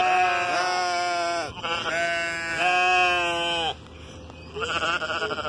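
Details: Sheep being talked to, bleating loudly in a run of long, strongly harmonic, slightly quavering calls, one after another with barely a break, then a quieter gap and a rougher, shakier bleat at the end.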